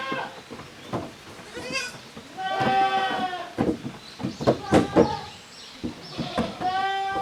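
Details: Goat kids, offspring of the nannies Koharu and Okayu, playing in two teams in the exercise yard of Yoshigake handmade goat farm, 13 June 2023; several overlapping wavering bleats in quick succession, with clattering and thumps between them.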